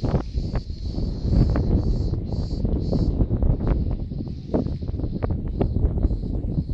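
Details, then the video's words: A captured cricket chirps in high, buzzy pulses over heavy low rumbling wind noise. "Meşhur cırcır böceği"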